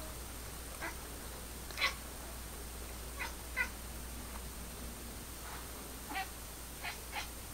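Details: Female domestic cat indoors, trying to communicate with a laser pointer dot: short, clipped chirp-like calls, about eight scattered irregularly across seven seconds, faint against a steady electrical hum.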